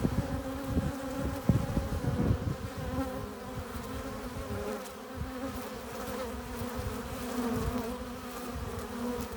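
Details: Honey bees crowding a hive entrance as they return with pollen and nectar. A thick, continuous droning hum with a deep, throbbing low end rises and falls as bees fly close by.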